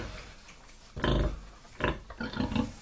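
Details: Sow on her first day after farrowing, 28 January 2019, nine surviving piglets, gives low, deep grunts in short bursts, calling the piglets to nurse as she lets down milk.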